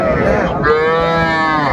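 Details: Young cattle at a livestock market in Faridpur, Bangladesh, where a farmer buys small bulls and heifer calves: a single steady, harmonic moo holding level for nearly two seconds over busy crowd murmur.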